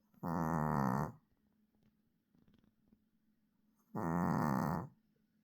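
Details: Dog snoring: two long rasping, throaty breaths about four seconds apart, each lasting nearly a second, with quiet room hum between them.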